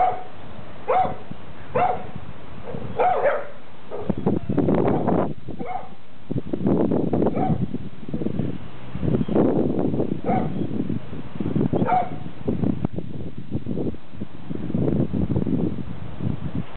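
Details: Neighbouring dogs barking at each other across a fence; a quick run of sharp barks at the start, then a long stretch of rough, low, throaty noise broken by occasional single barks.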